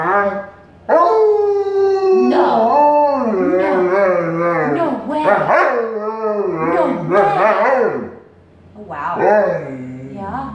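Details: Wolfdog vocalising back to her owner, a continuous string of yodelling, bending howls and whining moans that rise and dip repeatedly, loud and close, with the owner speaking softly alongside.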